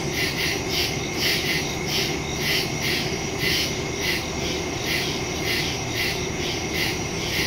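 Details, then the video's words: Crickets chirping in the woods at night, recorded September 2, 2023, on a phone with a stereo microphone: a dense insect chorus of pulsing high trills, beats roughly twice a second over a steady low hum. "Crickets in the woods at night"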